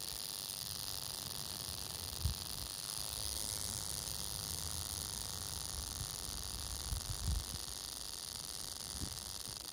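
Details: Oklahoma western diamondback rattlesnake, recorded 2021, keeps up a continuous high sizzling buzz for the whole stretch, broken only by a few soft low knocks.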